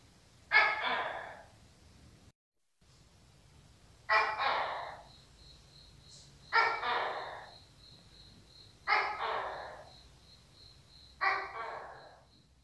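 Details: Tokay gecko giving five loud, harsh two-syllable calls, each a sharp bark followed by a fading second note, repeated roughly every two seconds, with a faint steady high tone behind.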